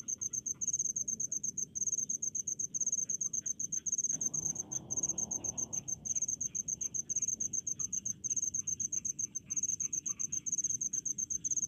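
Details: Crickets of the rice fields chirp in fast, shrill pulse bursts about once a second, with a brief rustling noise midway and soft lower insect sounds behind.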